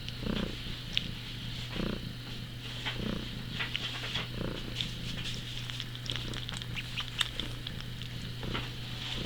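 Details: Eight-month-old pet cat Teemo, acting like a small kitten, purring steadily indoors: a low continuous rumble with soft rhythmic pulses roughly every second, plus faint scattered higher crackles.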